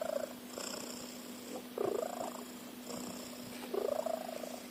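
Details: Cat snores with a motor-like rattle: two clear gravelly breaths about two seconds apart, alongside fainter snores in between.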